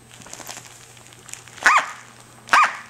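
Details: Female Corgi puppy, six to seven weeks old, playing with her toy duck; two short, sharp yappy barks about a second apart, each rising then falling, over faint rustling and handling noise.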